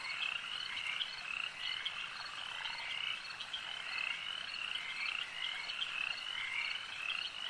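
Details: At a lake, a crowd of frogs keeps up a dense high chorus, rapid chirped croaks stacking and repeating in loose pulses, steady in volume across the whole stretch.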